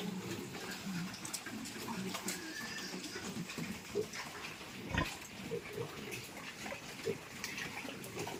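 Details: Piglets being moved into fattening pens on a Thai pig farm, giving low scattered grunts and snuffles amid barn clatter, with faint voices in the background.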